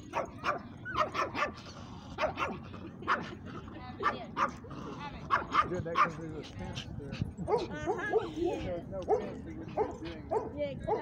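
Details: Dogs barking loudly at a dog park, sharp short barks in quick irregular bursts throughout, mixed with people talking nearby.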